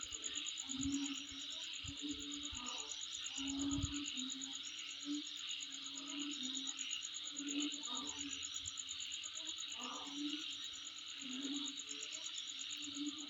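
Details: Insects calling near the recordist's home: a steady, fast, high pulsing trill runs without a break over a dense hissing chorus, with lower short buzzy bursts coming and going.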